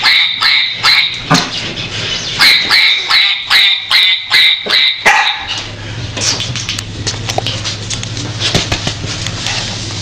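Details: Dog looking for a way out, giving a quick series of high, ringing yelps about twice a second for five seconds, then scraping, rustling and a steady low hum.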